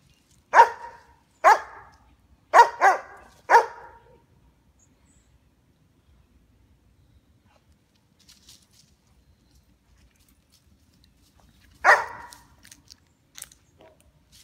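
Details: Two-year-nine-month-old female White German Shepherd on squirrel watch, protecting the backyard: a run of five forceful barks roughly a second apart, then quiet, then two more barks near the end, outdoors.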